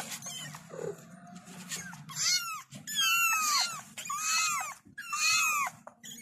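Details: Kittens crying out for their mother, a run of loud rising-then-falling meows about once per second, overlapping harmonic calls from more than one kitten, with a low steady hum underneath.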